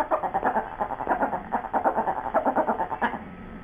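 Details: A rapid, continuous chatter of pulsed, throaty woo-woo grumbles from dogs Sue Ellen and Siv as they talk about a bone, about four pulses a second with a warbling tone.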